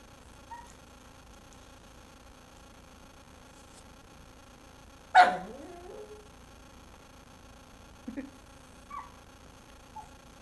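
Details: Indoor dog making odd noises in a room lit only by a TV, wanting the bone another dog is chewing; one loud sweeping cry swoops down then curls up, followed by a few faint short squeaks.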